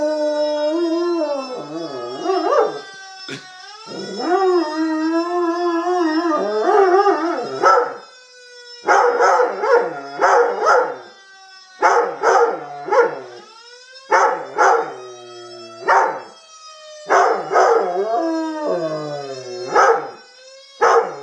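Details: A Black and Tan Coonhound and Rottweiler mix dog howls along with a siren: long wavering, yodel-like howls in repeated bursts with short gaps, over the steady rising and falling tone of the siren.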